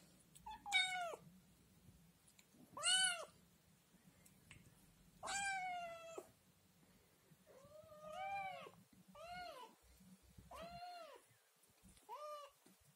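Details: Scottish Fold kitten, one of three born to a mother cat named Chloe, crying loudly indoors and asking for food after seeing yogurt; seven clear rising-falling meows with rich harmonics, the first three loudest, repeated every one to two seconds.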